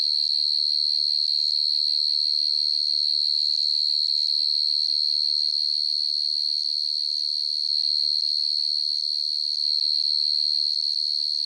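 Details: Field cricket chirping at night: a steady, high, shrill tone that pulses in an even rhythm, about three and a half pulses a second, without break, with a faint low rumble early on.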